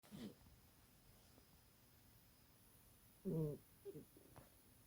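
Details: A sleeping little cat snoring loudly: a short low rasping breath near the start, then after a long quiet gap a louder throaty snore followed by a softer one, over faint room hiss.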